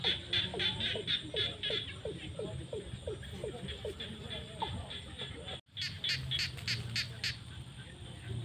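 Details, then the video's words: Frogs in the fields at sunset during the rainy season, one giving a clear series of short rising croaks about three per second over a chorus of sharp pulses, a brief break, then more pulsed calls. "The sound of frogs crying in the fields at sunset during the rainy season"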